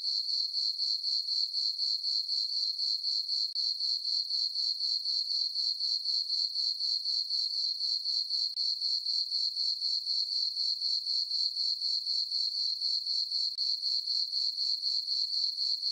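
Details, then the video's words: Crickets in a meadow on a farm at night under a full moon and dark skies, chirping in a sustained high trill, evenly pulsed about four times a second throughout. "Cricket chirping sounds for sleeping"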